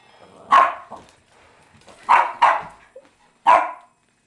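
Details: A female Boston Terrier, upset at having a crescent moon toy wand pointed at her, gives four sharp, mid-pitched barks, two of them in a quick pair.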